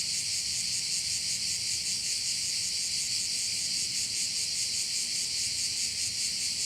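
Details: Unbroken, piercing cricket chorus at a bay on Korčula, Croatia, high and hissing with a soft rhythmic pulse of roughly two to three beats per second, over faint low background rumble.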